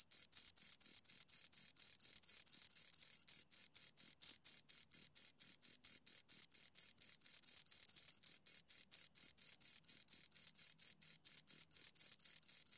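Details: Continuous close-range chirping of two crickets, a piercing high trill of rapid, evenly repeated pulses with no other sounds.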